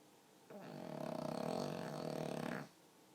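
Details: Sleeping pug producing a human-sounding snore: a single rough, fluttering inhaled rattle of about two seconds with rapid pulsing vibration throughout, then quiet; indoors with no other sounds.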